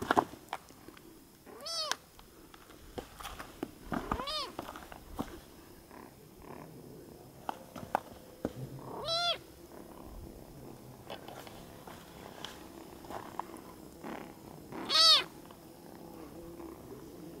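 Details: Sleepy, hungry kitten on Isla del Sol in Lake Titicaca, Copacabana, Bolivia, giving thin, high, arching meows spaced several seconds apart, with scattered clicks and soft handling noise between calls.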